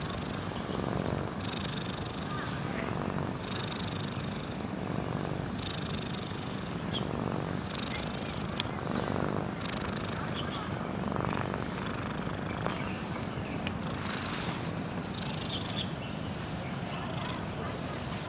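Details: Close-up of sleeping botanical-garden cat Huangjin snoring quite loudly, a continuous low growling rumble rising and falling with its breathing, with a few faint clicks and traces of distant voices.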